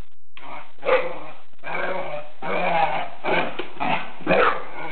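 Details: A dog growling and snarling at its reflection in a mirror, with rough throaty bursts repeated about every half second and a few sharp huffs.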